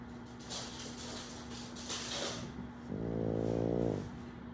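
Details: KingPug the pug snores while pug puppy Wolverine plays; scuffling and rustling noises come first, then a single short, deep, rattling snore near the end over a constant low hum.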